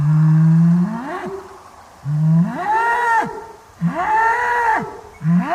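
A bull gives three deep moos, about two seconds apart. Each starts as a low steady drone, then swells into a louder, higher bawl that rises and falls.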